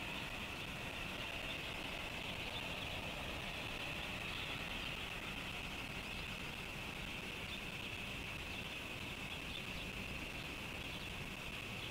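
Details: Steady broadband outdoor hiss, like distant traffic and wind, with no clear animal calls.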